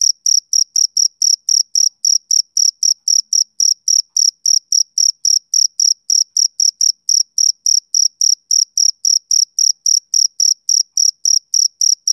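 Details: Male cricket chirping steadily, high-pitched pulsed chirps repeated nearly four times a second in an even, unbroken rhythm, with no other sounds.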